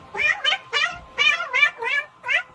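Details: Domestic cat giving seven short, bright meows in quick succession, each a rising-then-falling wavering cry, packed into under three seconds with brief gaps between them.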